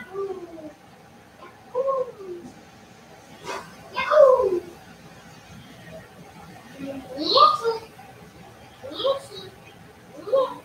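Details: Playful Cavalier King Charles Spaniel puppies raised inside a house give a series of short falling whines and yelps, about six bursts spaced unevenly over ten seconds, some higher and squeakier, against a quiet indoor background.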